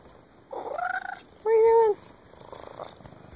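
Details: Heavy 20 lb black house cat seeking affection, giving two short harmonic meows in quick succession, the first higher and wavering, the second lower and steady, with a faint murmur afterwards.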